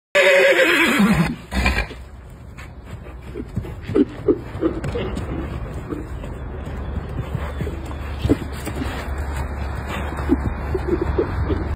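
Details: Wild horses fighting for territory in China or Mongolia: a loud, harmonic descending whinny in the opening second, then hoof clatter, scuffling and short grunting snorts over a steady low rumble.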